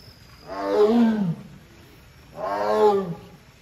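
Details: Sasha, a female Amur tiger at Hamamatsu Zoo, calls her keeper on 24 September 2023 because the door will not open by itself: two loud, harmonic, moaning roars about a second long, rising then falling, with a quiet pause between them.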